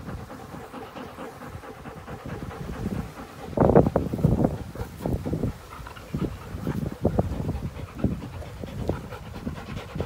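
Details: Play between an American Pit Bull Terrier and a Belgian Malinois cross on April 21, 2019; rough, rapid breathy pants come in uneven clusters over a low rumbling background.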